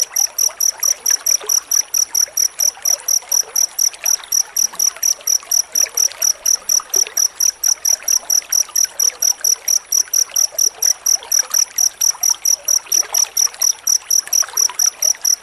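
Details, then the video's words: Dense cricket chirping meant for teaching white-rumped shama to sing: rapid, regular high-pitched pulses in an unbroken series, with a soft watery hiss underneath. "Suara jangkrik rapat untuk masteran murai batu"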